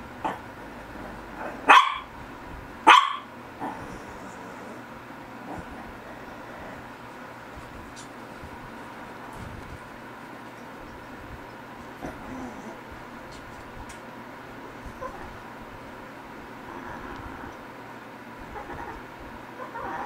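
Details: Shih Tzu dogs GGung and SSong: two sharp, loud barks close together in the first three seconds, then a long stretch of quiet indoor room hum with only faint small noises.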